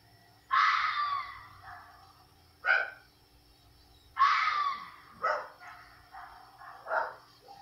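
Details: A red fox yelling at night in South Carolina gives harsh, raspy yells, several loud screaming bursts spaced a second or two apart.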